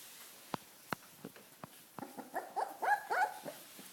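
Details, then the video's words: Welsh Corgi puppies on their first walk; a few sharp taps come first, then a run of short, high, wavering yelps and whimpers that grows louder toward the end, several closely spaced. "Welsh Corgi puppies"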